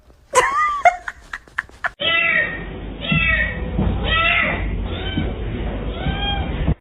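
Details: Pet cat from a funny talking cats compilation, a few sharp clicks and a short rising meow, then a run of repeated arched meows over a humming indoor background with a person's voice nearby.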